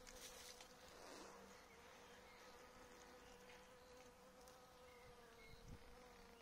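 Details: Honey bees in an apiary, exposed to caffeine from coffee; a steady mid-pitched droning hum with layered overtones, brief louder buzz near the start, faint bird notes in the background.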